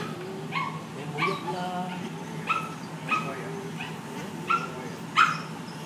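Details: Female Bernese Mountain Dog, unable to move after big surgery that day, crying hard on seeing her owners; high, thin whining cries rise and fall in a steady series of about seven, roughly one per second, over soft room noise and low voices.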